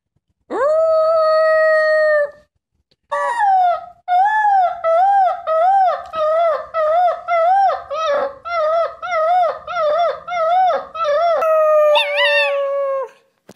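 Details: Puppy learning to howl indoors: a long steady howl held about two seconds, a brief pause, then a run of wavering, quavering howl notes rising and falling about once a second, ending on a higher drawn-out wail.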